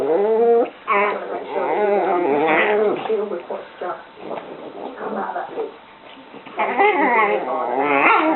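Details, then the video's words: A pair of dogs at play, trading whimpering, whiny vocal bursts and short yelp-like sounds. The sounds come in clusters with a quieter stretch midway, then a burst of livelier, higher-pitched noises near the end. "My dogs playing"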